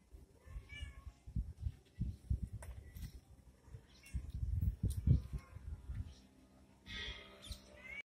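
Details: Playfighting kittens give a brief nasal mew early on, then rapid irregular thuds and scrabbling as they tussle, ending with a louder, wavering meow over the continuing scuffle.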